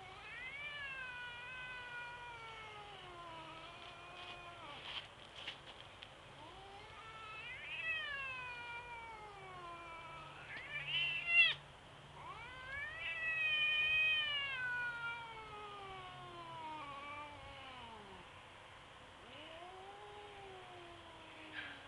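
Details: Domestic cat facing off with a big tabby on a sidewalk, caterwauling for over twenty seconds. A string of wavering yowls rises, bends and falls, some sliding steeply down, with louder swells midway and a low background rumble.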